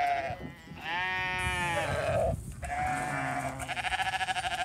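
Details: Bleats from a flock of sheep with a new hungry ram lamb at hay feeding time on a small farm; long wavering harmonic bleats, one rising then falling, with overlapping calls and rustling in the background.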